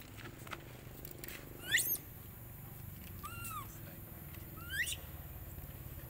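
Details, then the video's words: A baby monkey called Leo or Rainbow, denied milk by its mother, gives three short, thin squeaks that rise and fall, spaced about a second apart, against a low background hum. "Very Pity Rainbow Beg Milk Mom But Mom Rejected Hardly"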